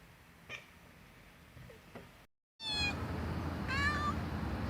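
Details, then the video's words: Domestic cat making an unusual vocalisation: after faint clicks and a short silence, a brief bright harmonic meow, then a second short rising chirping call over steady low background hum. "Top 10 Weird Sounds Cats Make"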